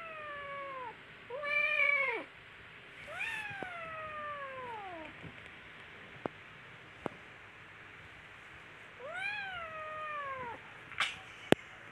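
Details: Young kittens at play and fighting, uttering four rich harmonic meows that rise and then slide downward, separated by pauses of a few seconds, with occasional sharp taps and clicks.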